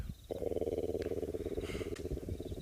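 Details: African elephant giving a deep, steady, throbbing communication rumble lasting over two seconds, at a dam at sunset on Pridelands property near Hoedspruit, South Africa, in late July, with a faint outdoor hush behind it.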